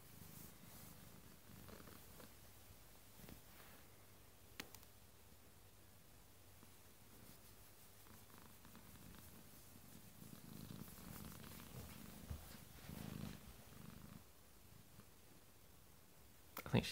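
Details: A domestic cat fast asleep indoors purrs continuously: a low, soft rumble rising and falling in slow waves, swelling louder around the middle and later, with occasional small clicks and a sharper rustle at the very end.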